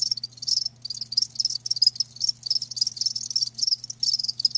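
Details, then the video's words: Live crickets trill in shrill, fast-pulsed bursts, several per second, overlapping into a near-continuous chirping over a quiet low hum. "Live Crickets 60min "Natural Sound""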